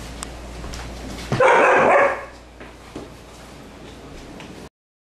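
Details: Siberian Husky barking at playing puppies, giving one loud sustained bark-howl lasting nearly a second amid faint background scuffles and thumps.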